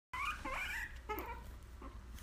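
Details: Guinea pig crying for a popsicle: a few squealing, warbling calls with a wavering pitch in the first second, then shorter, fainter squeaks. A steady low hum runs underneath.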